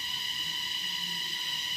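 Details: Crickets at Lamahatta in the North Bengal hills, heard in the early afternoon: a steady, shrill ringing drone with several sustained high tones layered together, continuous and unbroken, with faint low rumble beneath.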